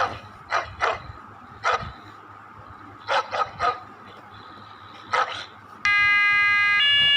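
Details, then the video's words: German Shepherd puppy named Maximus, playing in the morning at home, reacts to a weird sound with short, sharp barks in uneven bursts of one to three. A loud, steady two-tone electronic wail cuts in near the end over a low background hum. "My German Shepherd puppy confused with weird sound."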